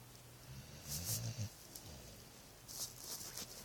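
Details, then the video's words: Sleeping dog snoring: low rumbling snorts followed by airy, hissing breaths, one louder rumbling snore in the middle of the stretch. "My dog snoring"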